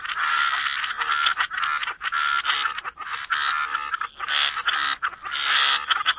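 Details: Chorus of croaking frogs by the waterside, dense overlapping rattling croaks with brief whistled notes on top, steady and continuous with short dips, a constant high hiss throughout.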